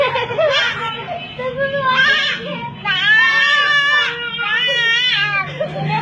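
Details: Young goats, one butting another, give loud, wavering, nasal bleats: about four drawn-out cries with quavering pitch across six seconds, while people talk and comment nearby.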